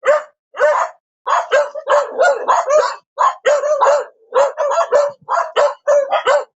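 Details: Continuous, excited dog barking, barks tumbling over each other in quick runs with only a couple of brief pauses, loud and rough-edged throughout.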